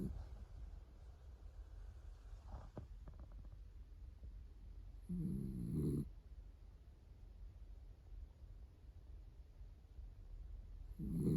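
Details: Roro, a female cream Miniature Dachshund born June 2010, asleep on her owner's arm, gives one long, low, rasping snore midway, with a harmonic buzz, then starts another at the end; soft rustling fills the quiet between.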